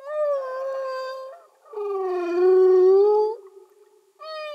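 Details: Underwater humpback whale song: sustained, steady, tonal moans rich in overtones. A mid-pitched hum is followed by a lower, louder drawn-out note that rises slightly at its end, then another note begins.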